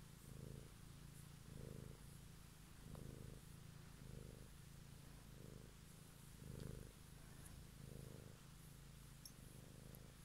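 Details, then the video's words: A domestic cat purring on an evening recording made for ASMR: a deep, even rumble rising and falling in regular breath cycles about every 1.2 seconds, with a few faint clicks above. "Cat song"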